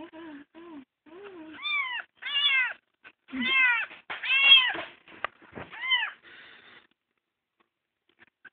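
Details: Adopted kitten found crying on the road, indoors: a run of high, arched meows, several rising then falling, repeated about once a second, with a few soft human words at the start and quiet after.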